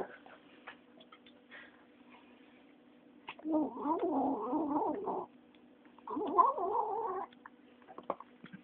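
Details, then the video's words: A young female kitten, 9 weeks old, voicing two wobbling, moaning growls of one to two seconds while eating, separated by a short pause, with light chewing clicks around them. "Kitten makes strange noises while eating"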